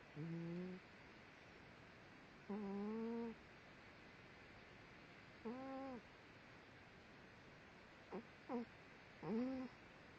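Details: Sleeping female dog snoring loudly, as though dreaming: short nasal, squeaky tonal snores with stacked harmonics, some rising then levelling, about six irregular breaths over ten seconds, with a steady low room hum between them.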